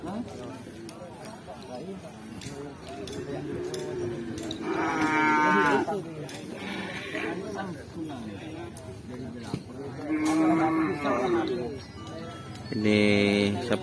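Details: Bull race cattle at a Kerapan Sapi event in Asemanis, giving several harmonic moos, some rising and some falling, amid steady crowd hubbub and speech.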